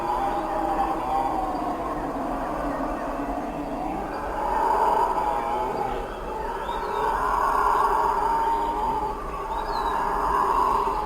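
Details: A continuous, rumbling roar from several howler monkeys builds into louder swells around the middle and end, unbroken by pauses, with only faint bird notes in the background.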